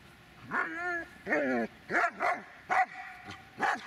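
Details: Dobermann Magmar Von Der Burgstätte whining in drawn-out, wavering tones followed by a few sharp barks, each about half a second apart, over a low hum of background noise.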